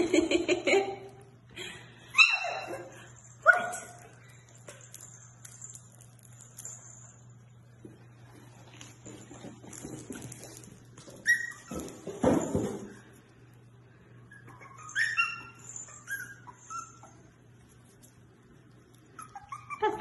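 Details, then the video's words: Havanese puppies at play indoors, giving short high yips and sharp barks in scattered bursts, loudest near the start and again around the middle, with quieter pauses between; a woman talks to them over a steady low hum. "Amazing Fluffy Havanese Puppies at Play!"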